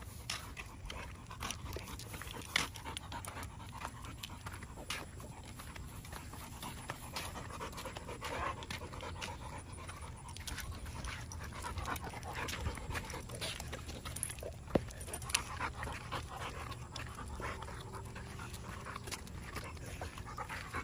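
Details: A dog panting steadily on a morning walk, rapid soft breathy puffs continuing throughout with occasional faint clicks and light background rustle.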